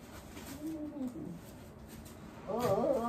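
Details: Elderly dog Wanta, in home nursing care with Kumiko Oba, during the morning routine indoors: a soft wavering moan, then a louder, higher, quavering groan near the end, with a quiet room hum.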